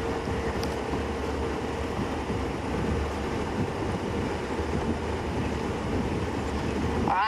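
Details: Steady vehicle engine rumble with wind noise and low voices during a sunset safari drive in Sabi Sand, with no animal calls heard.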